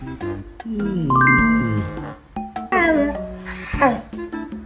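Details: Upbeat music with a child-like voice and chiming effects, sliding tones and short percussive hits, with no animal sound.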